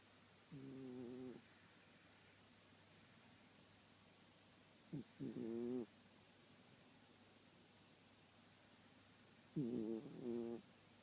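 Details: Sleeping Shiba Inu dog snoring: three short, nasal, tonal wheezes with whistling overtones, each under a second long and spaced about four to five seconds apart, in a quiet room.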